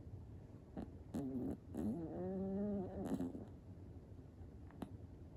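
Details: Cream poodle puppy snoring while asleep: a low, wavering, tonal drone with stacked harmonics that lasts about two seconds, preceded by short nasal snorts and followed by quiet breathing and a few soft clicks in a quiet room.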